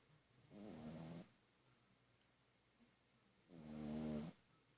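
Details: Pug-a-Poo dog snoring while asleep: two drawn-out rasping breaths, each lasting under a second with a low buzzy harmonic rattle, separated by about two seconds of quiet breathing.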